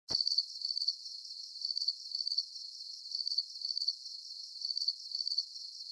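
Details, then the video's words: Crickets at night under a full moon give high, shrill pulsed chirps in short doublet bursts. The bursts repeat steadily about every three quarters of a second over a continuous thin high hiss. "Звуки природы Ночь Сверчки"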